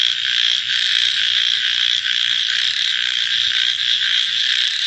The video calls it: Copyright Free Frog Night Sounds